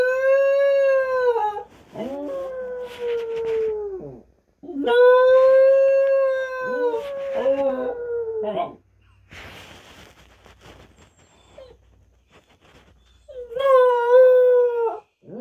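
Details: Husky howling: long, steady, tonal howls, each lasting about two seconds and dipping at the end, come in a run of four, then a pause with soft rustling noise, then one more howl begins.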